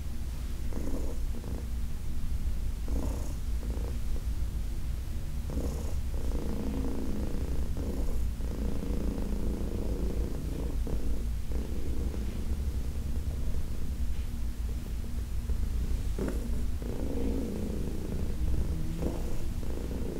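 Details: Heidi, a senior domestic cat adopted from the Humane Society of New York City, purring during a massage: a steady low rumbling drone with rhythmic swells of breath, soft rubbing and handling noises throughout.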